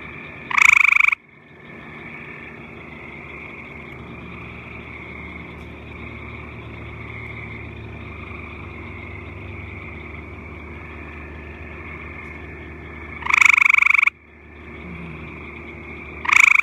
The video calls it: Frog croaking